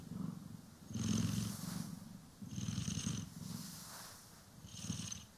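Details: Purring pet cat, Poki or Kiwi, during a brushing and grooming session recorded in stereo: three strong rumbling purr swells separated by quieter breaths, with light scratchy brushing rasps overlaid.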